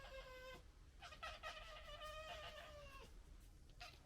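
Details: Red fox family squabble: a drawn-out whining, harmonic cry that holds steady then breaks into rough chattering, ending with a short yelp, over a steady low rumble of background noise.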